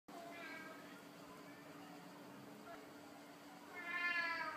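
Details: Male Royal Siamese cat appealing for something in a cute voice: after several seconds of quiet room hum, one short, rising, harmonic-rich meow near the end.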